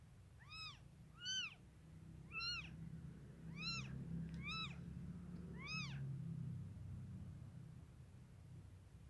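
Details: Cat mews around a black mother cat giving birth to five kittens, 5 to 6 am, Wednesday May 10, 2023: six short, high, arched mews, rising then falling, spaced about a second apart, over a steady low hum.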